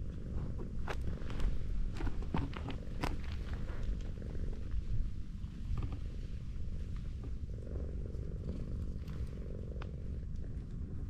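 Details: Affectionate tortoiseshell cat lying on a slope purrs continuously as it is stroked, a deep even rumble, with scattered rustling and clicking handling noises over it.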